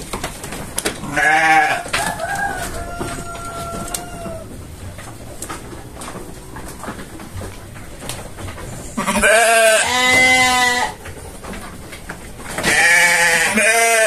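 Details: Indonesian sheep on a farm giving several loud quavering bleats, one at the start and two long ones near the end, with a thin whistle-like tone and background murmur in the quiet stretch between.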